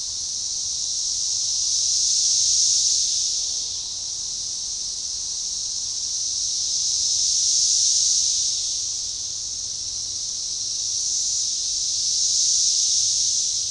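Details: Organized synchronizing chorus of Magicicada tredecassini near DeValls Bluff, Arkansas, June 7, 2015, along a forest-edge baseball trail; high shrill drone swelling and subsiding in three slow waves, roughly every five seconds.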